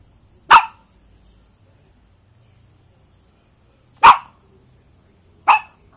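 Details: A dog barks loudly three times, short broadband barks near 0.5, 4.1 and 5.5 seconds, separated by quiet pauses.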